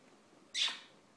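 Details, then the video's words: Puppy named Lola, demanding attention because she hates being ignored, gives a single short high-pitched squeal with a sharp onset that fades over about a quarter second; quiet background otherwise. "Demanding puppy"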